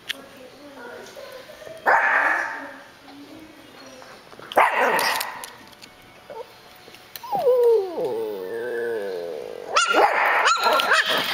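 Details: Pearl, a 9-week-old Miniature Schnauzer puppy, lets out a high wavering squeaky whine, sliding down and wobbling for about a second, between bursts of louder dog noise and household speech.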